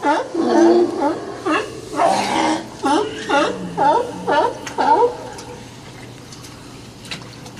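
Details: Sea lions squabbling over spots at Old Fisherman's Wharf in Monterey, California, giving a run of hoarse, harmonic barks that rise and fall, then fade to quiet background after about five seconds, with faint human voices nearby.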